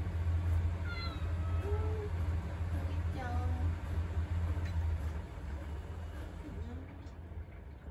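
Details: Indoor pet cat wanting attention while someone stands in the kitchen: a few short harmonic meows, one rising then falling, between bursts of human speech over a steady low hum.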